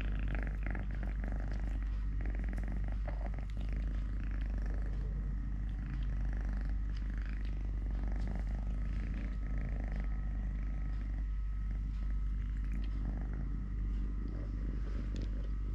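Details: Deep unbroken purring from Totoshka, a domestic cat missing one leg since birth, while eating, playing, walking or tussling with a hand; soft scratching and rustling noises accompany the low rumble.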